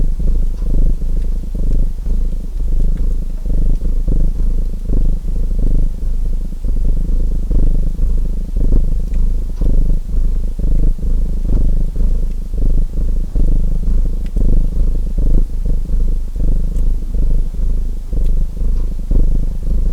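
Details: Domestic cat purring continuously alongside a crackling fireplace: an even, throaty low vibration pulsing in regular breath phases throughout, with soft ticking crackles from the fire in the background.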